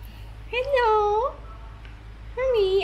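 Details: Barang, an old, tiny orange cat, back home after straying for a nap and food, during an ear cleaning beside a busy road: two drawn-out harmonic meows, the first long and level with a rising end, the second shorter and falling, over low hum.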